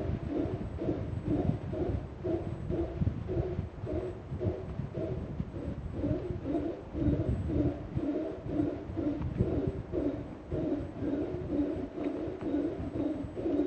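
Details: Male howler monkey calling from the trees above the Sendero Las Pailas trail in Rincon de la Vieja National Park, Costa Rica, announcing his presence, recorded by cell phone; rough, throaty roaring pulses repeat about twice a second, with distant monkeys answering.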